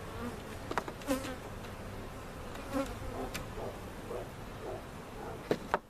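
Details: A relocated honey bee colony, removed in a cutout and set into a permanent hive in Central Oklahoma; a soft continuous hum runs under sharp wooden taps and clatter from beekeeping work.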